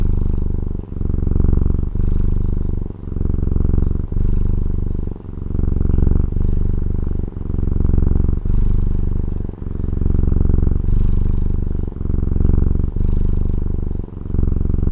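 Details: Continuous purring by a domestic cat from Taiwan, a deep throaty rumble that swells and fades with each breath, around thirteen cycles in quick succession, with no other sounds.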